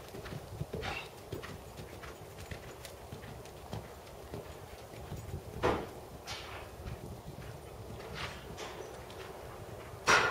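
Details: Tobias, a big black 7-year-old Percheron/Thoroughbred gelding standing 16.2 hands and schooled to 2nd Level dressage, working under saddle: soft, uneven clip-clop of hooves over a steady low rumble, with sharper thuds near six and ten seconds.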